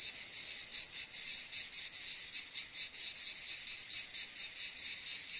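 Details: Cicada calling: a harsh, shrill, buzzy drone pulsing about four times a second in a steady throbbing rhythm, with no other sounds.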